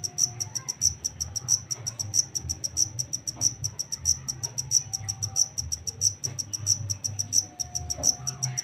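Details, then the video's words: Black cricket caught in the wild, called takecit, chirping in a regular rhythm: piercing high-pitched pulsed bursts about one and a half per second, over a faint low-frequency murmur. "Suara asli jangkrik hitam [TAKECIT] hasil tangkapan alam"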